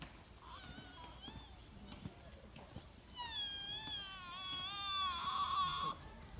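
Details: Young sika deer at Todai-ji, Nara, Japan, uttering a short high bleat, then a long quavering cry of nearly three seconds with strongly wavering harmonics, over quiet background murmur.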